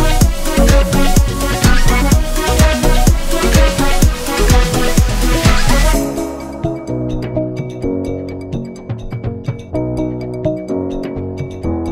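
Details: Electronic music with heavy drums that drops to a softer melodic section halfway through, with no animal sound.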